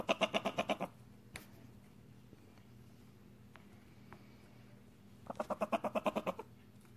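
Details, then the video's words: A young pet prairie dog "talks" to its owner in two quick bursts of sharp, squeaky chirps, a content greeting asking to be held. "Prairie dog sounds"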